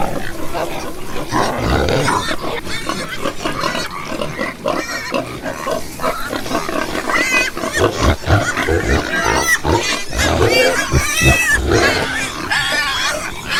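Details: Pigs on a farm, a dense chorus of overlapping grunts and short squeals from several animals, steady and busy throughout with harsher bursts near the end.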